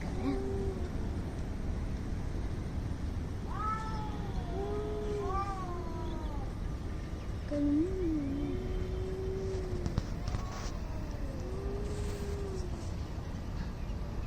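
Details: Two angry cats facing off in a fight, one holding a low moaning growl while the other answers with higher wavering yowls, over a steady low rumble of background noise.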